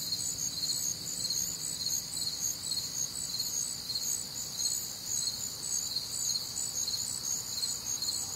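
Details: Night chorus of crickets recorded on a warm, humid Midwestern summer night: shrill, high trilling pulses repeating roughly twice per second over a constant shimmering drone, several callers overlapping.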